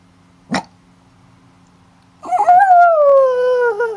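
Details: Dog howling, compared to a wolf: after a single sharp click, one long tonal howl begins, starts with a brief rise, then slides slowly downward, holding steady and rich in overtones until the end.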